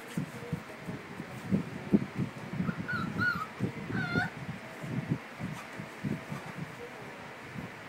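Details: Five-week-old Cardigan Welsh Corgi puppies give short, thin whimpers: a few high, wavering whines bunched near the middle, rising and falling, over steady rustling and low muffled handling noise.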